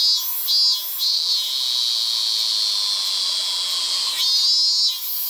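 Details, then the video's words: A male robust cicada (Hyalessa maculaticollis, minminzemi) sings a loud, steady high buzz that pulses at the start and end, in late summer. "★閲覧注意！！★ セミ特集 第３弾 ミンミンゼミ(♂) ～ Hyalessa maculaticollis ～"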